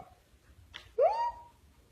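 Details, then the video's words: Siberian Husky puppy yawning: one short tonal sound that slides upward and then levels off, lasting under half a second, following a brief soft breathy noise, with quiet surroundings. "A husky puppy yawning"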